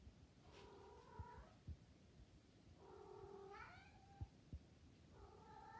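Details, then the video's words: Cooing Maine Coon cat in heat gives three warbling, harmonic calls that rise and waver in pitch, each lasting about a second, against quiet low background hum and occasional taps. "MAINE COON qui roucoule comme ça c’est qu’il est en chaleurs"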